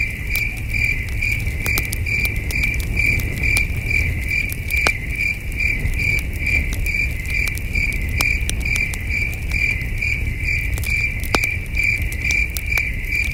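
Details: Distant crickets on a cool starry night at a wilderness campsite, a bright pulsed chirp repeating steadily for the whole stretch, with scattered snaps from a crackling campfire and soft low breeze noise.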